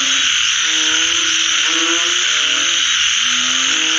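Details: Frogs after a rain shower: drawn-out, slightly rising harmonic calls in overlapping bursts, over a loud steady high drone.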